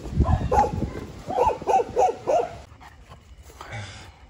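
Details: Rescued Toy Poodle, once abandoned and now recovering at an animal rescue station in Harbin, China, gives a quick run of short, sharp barks, about five in two seconds, then falls quiet amid faint room noise.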